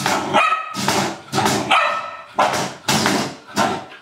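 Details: Playful Old English Sheepdog barking at a trash can, deep full barks roughly every half second in a lively series, with a slight echo and rattling background.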